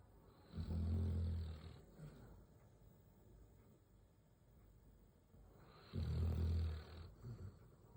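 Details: Sleeping Labrador Retriever named Simba snoring deeply beside an uneaten biscuit: two long, low, rasping rumbles, each over a second long, about five seconds apart, with quiet breathing between.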